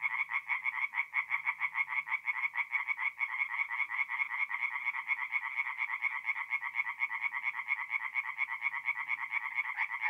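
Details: Forest pond at night in mid-April, north-east Italy, with a chorus of tree frogs: rapid, even, rattling croaks pour out continuously from many animals, bright and nasal, nothing else clearly heard.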